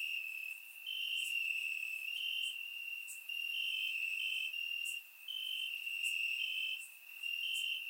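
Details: Crickets in grass on a warm Bulgarian summer night, surround-microphone recording: an unbroken high buzzing trill with swelling louder segments and a few brief dips, joined by occasional bright clicks higher up.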